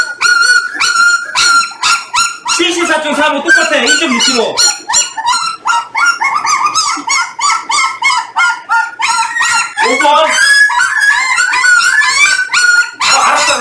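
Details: Jindo dogs, a litter 18 days after birth weighed alongside the parent dogs: dense, overlapping high harmonic whines and squeals, short and rapid, nearly continuous, with human voices in between.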